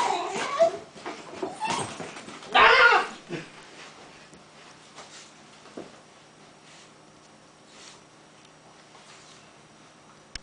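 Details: Indiana, a basenji, greets his owner home after a two-day business trip with excited yodel-like whines and yelps, loudest in the first few seconds.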